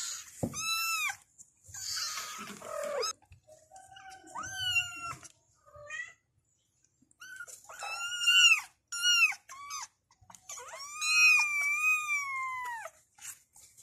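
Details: Kittens meowing to call their mother: loud, high arched mews, some drawn out and wavering, others short and repeated, with brief rustles and knocks between them.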